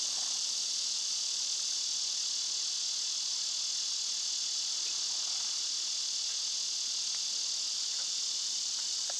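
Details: A dense summer insect chorus, mostly cicadas, fills the recording with a continuous high-pitched hiss-like drone; faint scattered clicks sit beneath the steady buzz.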